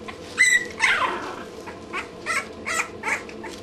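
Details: Two-week-old English Bulldog puppies whimpering and squealing in a litter, several short high cries and yelps in uneven bursts over a constant background hum.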